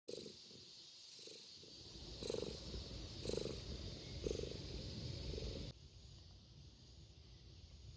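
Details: A community cat, contented after a sneeze, purrs with a low rhythmic rumble swelling about once a second.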